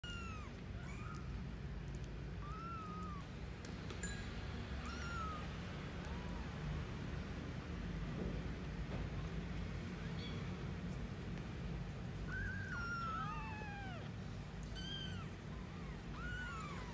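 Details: Newborn kittens at a cat café during feeding, mewing in short arched squeaks that rise and fall, scattered irregularly with clusters near the start and end, over a steady low background hum.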